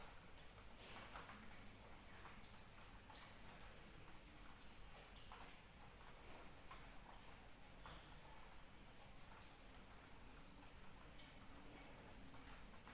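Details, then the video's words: Unceasing high, metallic cricket trill during rain, steady in pitch and loudness throughout, with light raindrop ticks and a soft hiss of rain below. "Suara Hujan dan Jangkrik Pengantar Tidur"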